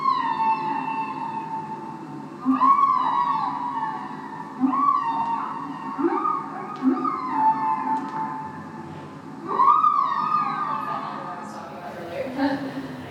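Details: Humpback whale (Megaptera novaeangliae), song.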